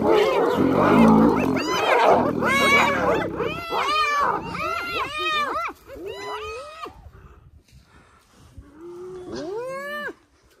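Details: Spotted hyenas during a clan rescue of a clanmate caught by a massive lion, Arathusa Safari Lodge, early August; loud chaotic start, then clear high arching giggles in quick series, fading to sparse single rising-falling calls.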